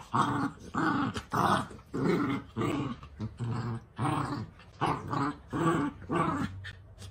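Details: Miniature dachshund growling during play, a series of short rough growl bursts about every half second to second, steady rhythm over seven seconds, indoors.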